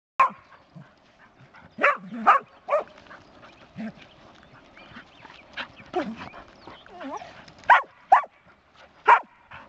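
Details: Skye Terrier giving sharp, short barks at irregular intervals, single and paired, with quieter yips and faint rustling between them.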